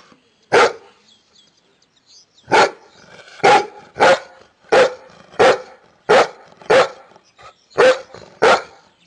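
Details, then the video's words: A single dog barking: sharp, loud barks, one at the start, then nine more in a fairly regular series roughly every half to one second after a short pause. "Can you guess this dog from Barking sound ?"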